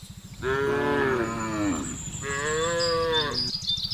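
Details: , Village cattle being driven home along a road by a young herder at dusk, calling the herd: two long, loud, harmonic moos back to back, the first gently falling, over a low pulsing hum.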